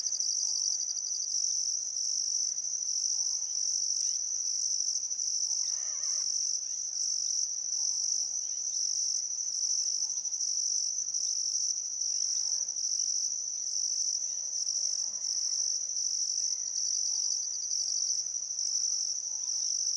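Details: Still summer afternoon at sunset on the Barcoo River, Welford National Park, Outback Queensland: crickets keep up a continuous high-pitched pulsing trill, broken into regular bursts, while soft birdcalls flicker in the background.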